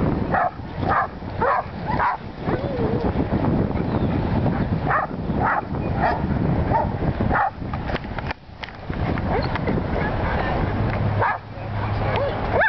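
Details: Willie, a Welsh Corgi, herding sheep for the first time in Long Beach, California; short sharp barks come in quick irregular bursts over a steady low rumble of background noise.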